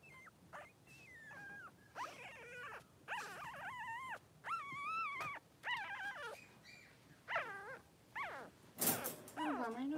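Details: Two newborn Blenheim Cavalier King Charles Spaniel puppies, male, three days old, in a whelping pen with their mother Pom-Pom. High squeaky whines and cries, many rising then falling, come in bursts about a second long, with a faint human voice.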